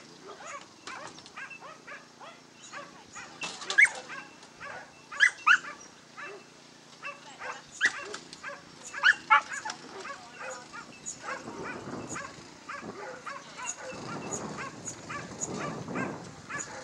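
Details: Basenji, entry 5, tackling a Dogs NSW lure coursing course on 27 September 2015; excited, irregular run of sharp yips and yelps, some loud and ringing, then giving way to rumbling, noisy background sounds.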